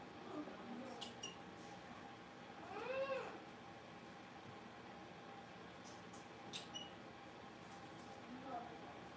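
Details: Blenheim Cavalier King Charles Spaniel puppies, a litter of five born at New Year's, in an indoor puppy pen; one arching, rising-then-falling whine midway, with a few faint short squeaks and light room noise around it.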